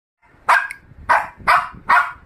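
A Shih Tzu puppy gives four sharp, high-pitched barks about half a second apart.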